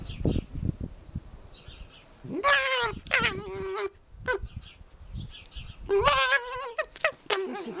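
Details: A male red fox rescued from a fur farm, captive and not wild, gives two strained, rasping, wavering screams about a second long. He is playing with a stuffed squirrel toy, and the owner suspects predatory excitement or aggression. A person speaks softly between the calls.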